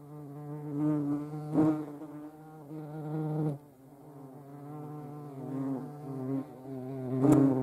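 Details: European hornet (Vespa crabro) recorded in the Eifel, Germany: low, rich droning buzz that wavers in pitch and loudness as it flies about, broken by brief knocking sounds.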